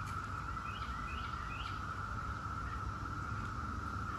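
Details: A faint, even drone from a Brood X 17-year periodical cicada chorus, with three quick rising bird chirps near the start and a heavy low rumble underneath.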